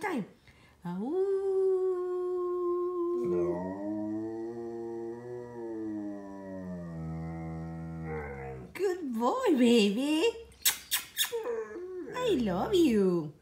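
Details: Dog of one year seven months howling in an unusually low register: a rising tonal note held for two seconds, then a long deep wavering drone, followed by a person's speech.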